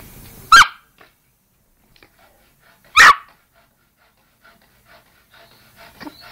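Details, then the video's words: Yorkshire Terrier sneezing: two sharp, noisy, explosive bursts about two and a half seconds apart, near silence between them, with faint rustling at the end. "sneezing yorkshire terrier"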